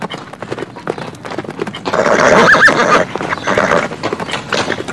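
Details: A horse outdoors in nature gives a loud, shaking neigh over the quick, drumming beat of galloping hooves.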